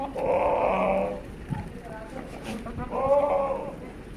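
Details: Sirohi goat, a big male at a goat farm in Pushkar, Rajasthan, gives two drawn-out, wavering bleats about two seconds apart, with low murmuring voices and farm noise behind.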